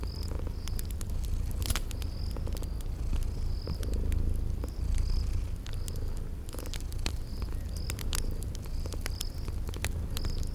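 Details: Sleeping kitties purring in a low, steady rumble, set against a crackling fireplace with sharp pops, while crickets chirp in short bursts at a regular pace in a spring garden ambience.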